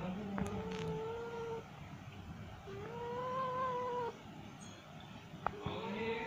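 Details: Female cat in heat calling to mate: long, drawn-out yowls, each held steady for over a second, with a low wavering wail and overtones. Three calls come with pauses between them over faint background hiss.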